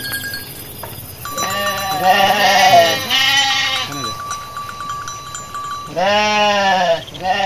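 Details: Garut sheep among dozens running through a rice-field area as rams rage; several loud, quavering bleats in quick succession, then another after a pause, over a steady ringing tone and background rumble.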